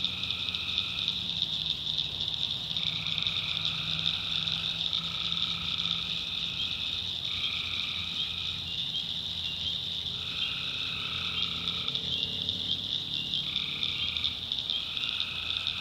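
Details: Tree frogs in a North Carolina backwoods swamp at night: a continuous high chorus punctuated by lower trills of about one to two seconds, repeated every few seconds by different callers overlapping each other.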